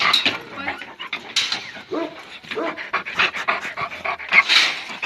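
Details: Purebred Kangal dog shown reacting to a wolf; quick, breathy, irregular panting bursts, loud and close, with a man speaking encouragingly to the dog throughout.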